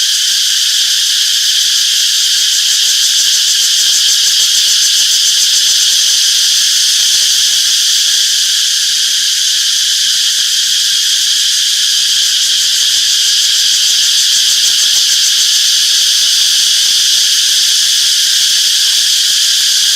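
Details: Cicadas chirping in a peaceful summer forest: a dense, continuous high-pitched buzzing drone with a faint shimmering pulse, steady in loudness throughout, and no other clear sounds.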